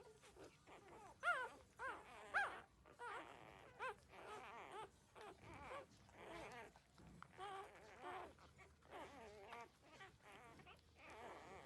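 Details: Squeaky, quavering whimpers come from 13-day-old puppies as they suckle from their mother, short wavering cries repeating about once a second, a couple sharper yelps standing out early on.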